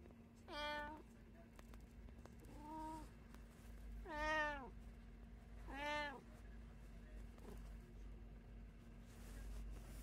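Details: One of three house cats, including tabby, Munchkin and Abyssinian, gives four drawn-out meows spaced about every one and a half seconds, each rising then falling, over a steady low indoor hum.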